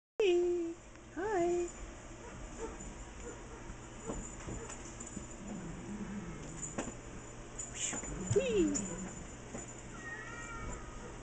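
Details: A tired cat awaiting adoption, indoors: a few short, tonal meows rising then falling, one at the start, another a second later, and a third near the end, between quiet stretches. A woman speaks softly to the cat.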